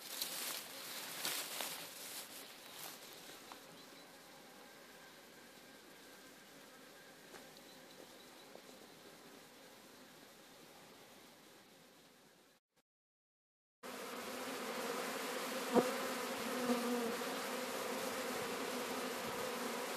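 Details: Swarm of Sicilian honey bees being captured at Sciacca: a steady, fairly quiet droning hum for about twelve seconds, a brief silent break, then a louder, fuller buzz with a low hum band, a faint tap or two.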